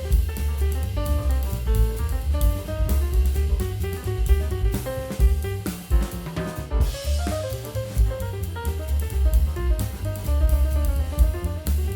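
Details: Driving drum-kit music with heavy bass drum, cymbals and a melodic line plays throughout, and no animal voice can be picked out.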